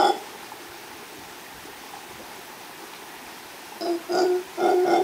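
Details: Mantled howler monkey, a male howling with the female close by, recorded by chance in Los Tuxtlas Biosphere Reserve, Veracruz, Mexico: after a hushed stretch of forest hiss, three loud, hoarse, roaring bursts erupt near the end.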